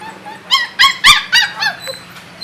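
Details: Puppy in a cage, one of sisters Annie and Chichay, Annie being the one who hates confinement, gives five sharp, high, squealing yelps in a row, the middle ones loudest, before fading.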